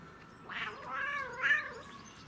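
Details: Domestic cat making funny, weird noises while enjoying catnip: one drawn-out, wavering yowl lasting just over a second, its harmonic tone bending up, dipping, then rising again to a brighter peak before fading, over faint low background hiss.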